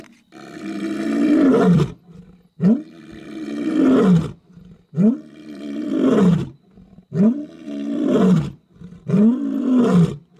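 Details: Male lion roaring right beside a safari cruiser on a night safari: five long, deep roars, each swelling and then falling away over about two seconds, with brief quiet gaps between them.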